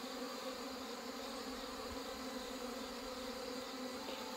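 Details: Honey bee colonies weakened by hornets and failed mating are combined; the swarm gives a constant low drone with clear harmonic layers and a brief soft knock near the end.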